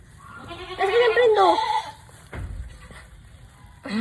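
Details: Mother goat in a hard labour: one long, quavering, strained bleat in the middle, wavering and falling in pitch, with a person's voice and short sounds around it.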